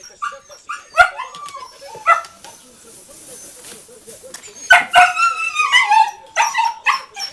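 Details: Rescued dogs at an animal rescue in Coin, Malaga, Southern Spain, being settled in for the morning: several excited yelping barks and rising whines in two bursts separated by a quieter pause, with a person talking nearby.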